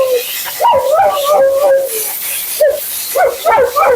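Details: Female Siberian Husky named Mila grumbling while being bathed and groomed: short choppy whines and yips with quick pitch wobbles, broken into several bursts, over a hissing background of spraying water.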